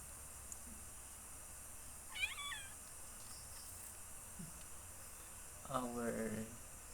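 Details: Domestic cat, a frog hunter that brings a frog home every night, giving two drawn-out meows several seconds apart, the first higher and wavering, the second lower and longer, over steady background hiss.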